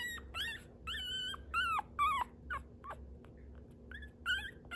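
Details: Dog whimpering indoors: a string of high, thin whines that rise and bend, several with wavering pitch, coming in uneven bursts roughly twice a second, with a steady low hum underneath.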